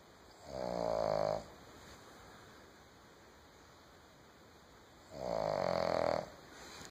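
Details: A female Boston Terrier snoring while asleep on a couch, in slow, rasping breaths, each lasting about a second, several seconds apart.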